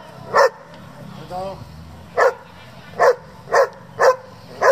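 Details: German Shepherd from a breeding and competition group: loud single barks roughly every 0.7 seconds, with a faint voice heard between them.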